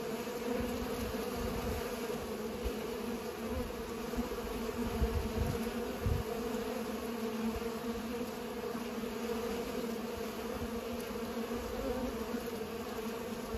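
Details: Bees busy pollinating make a continuous buzzing drone, even and unbroken, with a fuller low hum beneath a brighter overtone. A few soft knocks come around the middle.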